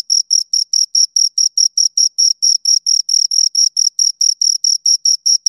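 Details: Two crickets give a fast run of sharp, piercing chirp pulses, slightly uneven in spacing, high in pitch with a ringing overtone, in quiet surroundings.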